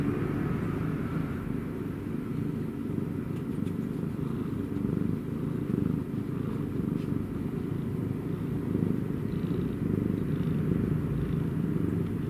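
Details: Cat purr heard close up as a dense, throbbing low drone. The loudness rises and falls gently over several seconds, with no other clear sounds.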